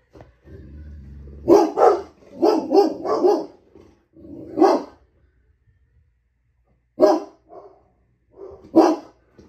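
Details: A pet dog barking at a TV streaming logo indoors: a low hum of the TV, then bursts of loud, deep, gruff barks in quick clusters of two or three, with pauses and a few softer barks between.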